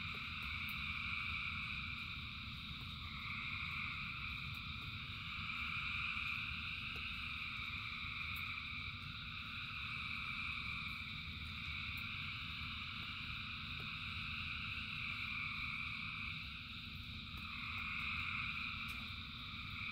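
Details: Frogs by the thousands chorus through rainfall, a sustained layered trilling that swells and eases gently over twenty seconds, backed by a constant low rain roar.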